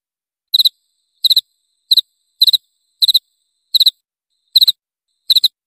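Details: Cricket sound offered to drive away mice: short chirps of three or four rapid high pulses with bright overtones, repeated roughly every two-thirds of a second against a silent background.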